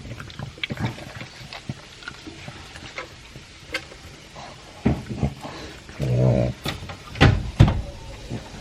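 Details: Elvis, a two-year-old pug, eating dry food with a chunk of beef indoors: irregular crunching and smacking bursts of low chewing noise, several louder clusters near the end, in a quiet small room.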